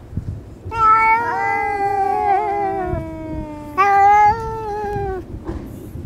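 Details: A friendly female cat lying on a lap while being petted, threatening a disliked orange tabby cat that appeared; a long, drawn-out, wavering yowl slowly falling in pitch, then a second shorter rising-falling yowl after a brief pause.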